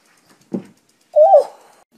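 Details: Domestic cat indoors, one of the cats taking over a dog bed, gives a short low grunt followed by a drawn-out tonal meow that rises slightly and then falls away, in a quiet room.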